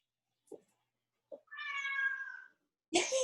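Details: Indoors, a male domestic cat meows to be let outside: one clear, drawn-out harmonic meow lasting about a second, between brief soft knocks and a burst of noise at the end.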